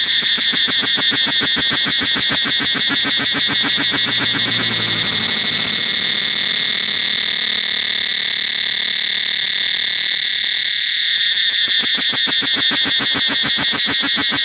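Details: Cicadas throughout the forest of Angkor Wat temple: loud, shrill, layered buzzing with rapid regular pulsing, about three beats a second, sustained with no pause; a brief low rumble near the start.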